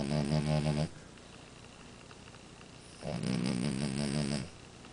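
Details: Amora, a French Bulldog, snores in two long vibrating rattles separated by about two seconds of near silence, each snore low and throaty with a fluttering texture.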